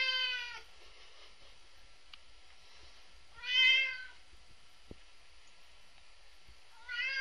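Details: Bored red point Siamese cat Binx, three years old, at home: three strong harmonic meows spaced about three seconds apart, each swelling then falling in pitch, with a single knock between and a quiet room background.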